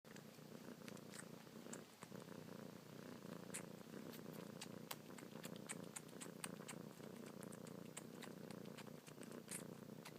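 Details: Kitten purring non-stop while suckling on the tips of two fingers, paws kneading, a nightly and morning habit since she arrived; steady low rumbling purr with faint clicks and soft rustles throughout, indoors.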